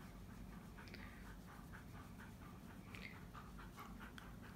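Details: Excited Siberian Husky indoors on a coated floor, following its owner closely: soft, rhythmic panting, quick breathy puffs about three per second, over a steady low room hum.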